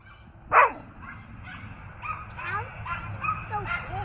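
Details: A Doberman barks at a Belgian horse, a single sharp, loud bark, followed by softer voices.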